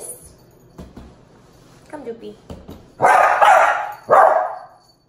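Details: Two dogs meeting indoors, a two-month-old Miniature Pinscher puppy named Tito and a Dachshund named Jupiter aged one and a half: a thin whine, then two loud, sharp barks about a second apart after quieter taps.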